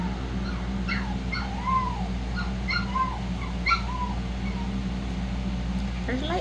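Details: Shih-poo puppies giving thin, high whimpering yips, short downward-curving whines repeated every second or so, with a rising squeal near the end over a steady low hum and a woman's soft voice.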